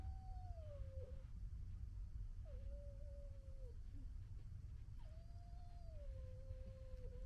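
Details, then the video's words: February 2022, one female fox gekkering at another: three long whining calls, each starting higher and sliding gently down before a brief dip at the end, spaced about two seconds apart, with steady low rumble behind. "Fox Funny Gekkering Sounds"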